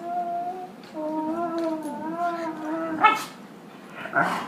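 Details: Indoors, a dog plays with a puppy and gives odd singing, Chewbacca-like sounds: long, steady, gently wavering tonal moans that slide down near the end, then a sharp burst and a short yip-like note.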